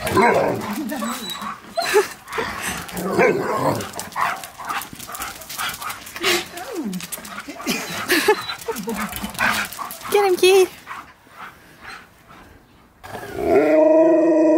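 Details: Siberian Husky at a reunion with his best friend, responding to his favourite words with rapid yips and bending whine-like howls, overlapping with human speech, then a louder drawn-out harmonic howl near the end.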